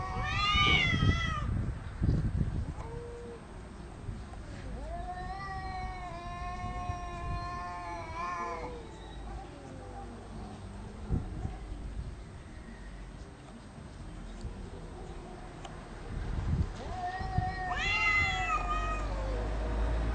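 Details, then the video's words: Cats arguing over territory, loud but without biting: short swooping yowls at the start, a long wavering howl midway, long quiet stretches with low rumble, and a final rising wail. "Cats arguing about territory"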